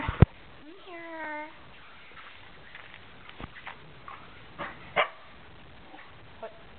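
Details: Two grown-up Shetland Sheepdogs playing wildly indoors; a drawn-out harmonic whine rising then holding steady for almost a second, followed by scattered soft yelps, thumps and brief scuffling noises, with a person calling nearby.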